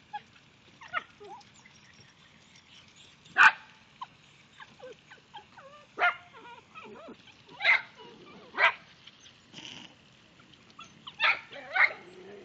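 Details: A dachshund, angry at ducks, gives sharp, irregular barks spaced a few seconds apart.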